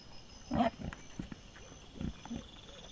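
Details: Wild boar caught by a trail camera on 22 September 2024, giving a few short, low grunts, one louder burst near the start followed by softer scattered grunts, over faint steady high-pitched chirring in the background.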